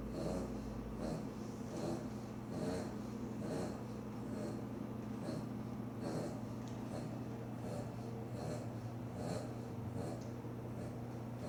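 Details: Boston terrier snoring while asleep: rhythmic, rough snorting breaths repeated roughly every second, each a short wheezy rasp, over a steady low electrical hum.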